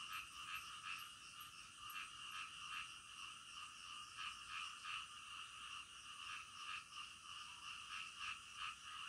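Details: Frogs at night producing quick repeated rasping croaks, close to three pulses a second, irregularly spaced, over a continuous high hiss with a few faint chirps.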